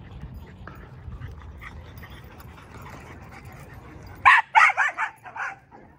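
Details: Dog at a familiar dog park, back for a visit. After several seconds of soft background hum, a quick volley of about five loud, sharp barks rings out in close succession near the end.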